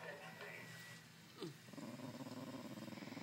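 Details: Female Shiba Inu, tired and wanting to snuggle, growls in anger when squeezed. After a brief spoken remark comes a low, rough, pulsing rumble that continues steadily through the second half.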